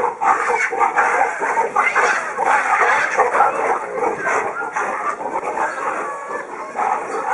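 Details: Aggressive fight among male baboons over females in a harem group: continuous rough, noisy barks and shrieks pile over one another, irregular and loud throughout, with no pause in the commotion.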